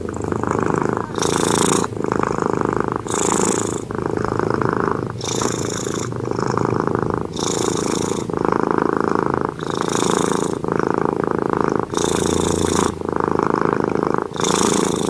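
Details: Sleeping domestic cat snoring, rhythmic rasping inhale-exhale cycles roughly once a second, each marked by a brief airy hiss at the top of the breath, continuous and fairly loud indoors.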